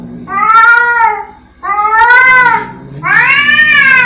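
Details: Angry cat making three long, loud, harmonic meows, each wavering and slightly rising and falling, separated by brief gaps.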